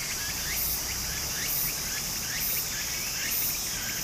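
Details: Summer cicada chorus by a Japanese brook: a continuous high, hissing buzz swelling about once a second, with quick rising chirps repeated beneath it and gentle stream noise throughout.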